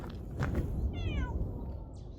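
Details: A plump mackerel tabby cat on a foggy, dewy early-morning mountain trail at Namhansanseong, South Korea, gives one short, falling meow over low wind noise, possibly waiting to be fed.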